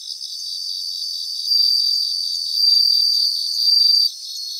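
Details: Several bell crickets singing in a grassland: a steady, high, ringing trill that swells louder near 1.5 and 2.7 seconds, then cuts off just after 4 seconds, with a fainter, even higher shimmering chorus running behind it.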